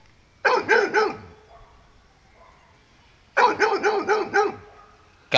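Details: On a morning walk a frightened dog called Mario barks at a buffalo: a burst of three fast barks, a long pause with faint human voice, then another run of about five barks.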